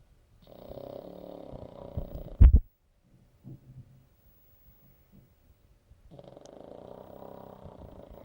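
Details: Pug snoring: a long, low, rasping inhale, a sharp snort, then quiet breathing with faint snuffles before the next drawn-out rumbling snore begins.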